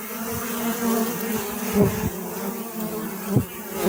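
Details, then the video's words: Dense, steady bee hum with rich overtones, punctuated by quick, sharp swells as bees dart past close by, especially around the middle and near the end. "أصوات النحل . صوت النحل.طنين النحل.Bee Sound Effect"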